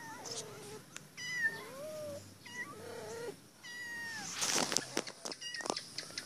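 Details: Caged female cat meowing insistently to be let out; a series of drawn-out meows, some falling and some rising then falling, repeated about every second, with brief human laughter and clattering near the end.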